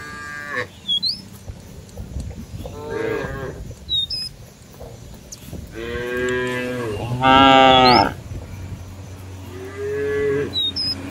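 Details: Cattle roaming a village field, calling companions to return to the barn: several long, harmonic moos, some rising and then falling, spaced a few seconds apart, with short chirping bird calls overhead.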